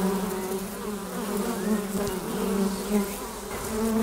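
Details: Hive entrance alive with flying honey bees; an unbroken droning hum with bright harmonic bands, brief louder passes of nearby bees and faint clicks in the background.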